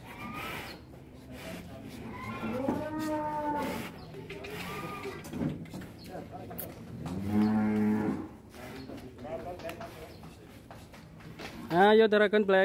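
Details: Large fattened cattle, weighed on a scale in Indonesia, give long low moos with stacked harmonics, one near three seconds and a stronger, longer one around seven to eight seconds, amid background chatter and a sharp burst of noise at the end.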